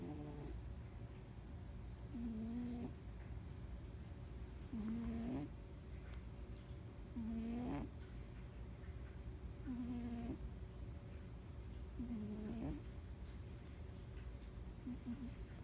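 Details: Sleeping pet cat snores in a slow, even rhythm, about one breath every two and a half seconds, each a low wheezing rasp with a short nasal whistle, constant low background hum beneath.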